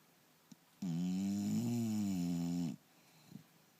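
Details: English Bulldog Turbo sound asleep, snoring once more: a faint sniff, then a single loud, buzzy snore of nearly two seconds that rises and falls a little in pitch before ending abruptly in quiet.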